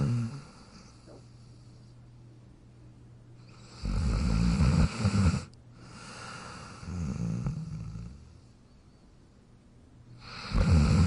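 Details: Pet dog Jack sleeping in his bed, giving deep rattling snores: a long loud one, a softer drawn-out breath after it, then another loud snore starting at the end.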